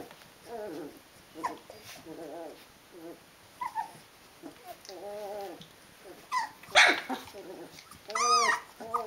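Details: D-litter Rhodesian Ridgeback puppies at 19 days old, uttering short wavering harmonic whines every second or so, then two sharper high yelps in the final seconds.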